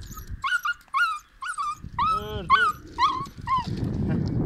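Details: Kangal dog showing aggression toward another dog: a series of tonal yelping, whining cries repeated about twice a second, some with rich harmonic stacks, ending in a rough noisy burst; a person's voice is faintly heard.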